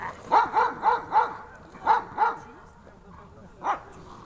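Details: Dog barking while being rewarded during search training: a rapid burst of four barks, two more after a short gap, then a single bark after a pause, with faint voices between.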